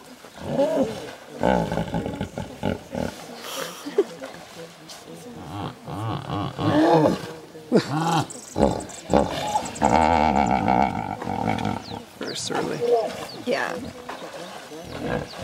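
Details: Serengeti hippo pool where hippopotamuses trade calls back and forth: low, throaty wheezing grunts and roaring honks in irregular bursts, one long harsh blast in the middle, with quiet human voices.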